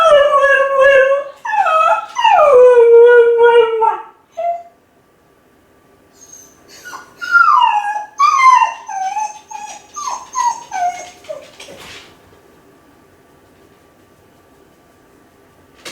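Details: Lonely Kai Ken howling while left alone at home, calling for its family; two long falling howls, then a run of shorter broken descending yips and whimpers that fade into quiet.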